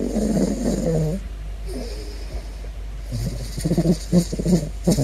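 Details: Big Floppa the caracal, investigating a balloon, gives a low harmonic moan, then a quiet pause, then a run of short, pulsed, grunting notes that repeat roughly every half second toward the end.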